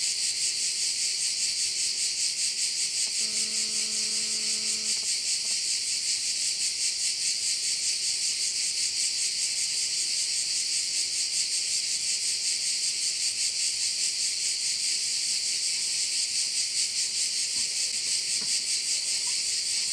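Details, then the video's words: Crickets at a Korčula bay in Croatia keep up a continuous high-pitched, pulsing buzz. A brief low tonal hooting sound rises and stops near the start, a faint hum runs underneath, and a soft click comes late. "with sounds of crickets"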